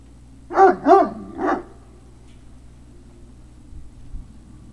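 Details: Three quick, high puppy barks from Great Dane puppies at Puppy Hill, 3 May 2019, evening, the first two close together and the third after a brief gap, followed by near silence with faint low rustling.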